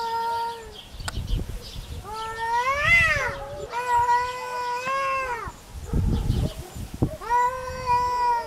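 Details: Cat in a territorial fight, genuine recording: a series of loud, harmonic-rich yowls, some swelling and rising into a higher wail before dropping, others long and level, with brief gaps and soft low noise between them.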